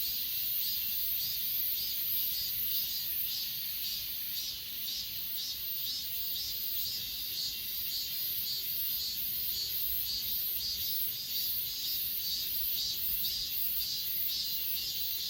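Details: Grass insects singing on Achasan mountain, S20 Ultra recording; bright, high pulsed chirping beats steadily about twice each second above an unbroken thin, high-pitched drone.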